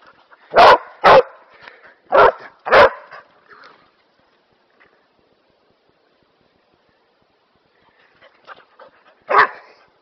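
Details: Kerry Blue Terrier dog, just back from grooming, practising obedience commands indoors; four loud sharp barks in the first three seconds, then a quiet gap and one more bark near the end, with soft human speech between.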